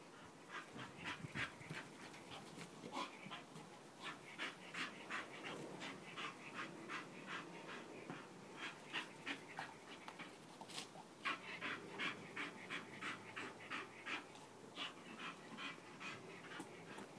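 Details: Bull Terrier panting steadily, fast rhythmic breathy huffs about three per second, over a dull background hum.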